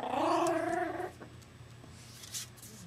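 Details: {'caption': 'Young puppy, newly brought home and said to miss its mother, crying almost nonstop except when asleep; one wavering, high whine with rich harmonics lasting about a second, then a quiet room with faint small rustles.'}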